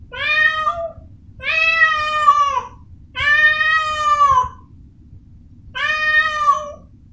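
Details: Caterwauling from Amora, a Persian cat in heat for the first time: four loud, sustained yowls about a second long, falling slightly in pitch, with a long pause before the last one. The room is otherwise quiet.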